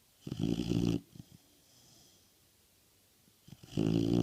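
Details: Nixie, an American Bulldog, snoring: two loud rasping snore bursts, one early and one at the end, each about a second long, with low rumbling tones and a quiet pause between them.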